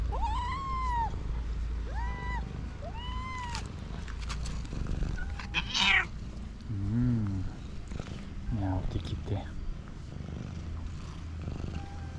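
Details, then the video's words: Loud, jealous female calico cat that won't let other cats come close to her owner: three drawn-out meows that rise then fall, roughly one per second, followed by a person talking and handling noises. "Calico cat that meows loudly won't let any cat come close to me"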